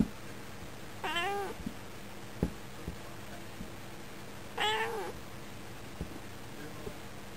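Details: Female domestic cat indoors by a window, chattering at birds outside and responding when spoken to; two wavering, bent meows about three and a half seconds apart, with faint clicks and room hum between.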